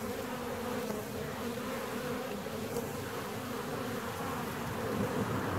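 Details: Honey bee colony inside a hive 17 days after splitting: a dense, steady droning hum with a low fundamental and a strong overtone band, unbroken and even in loudness throughout.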